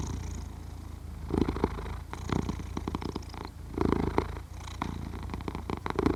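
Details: Low, continuous purring and snoring from a sleeping cat, captured with a Zoom H6 recorder; the pulsing rumble grows stronger in several short surges roughly every one to two seconds, otherwise quiet room.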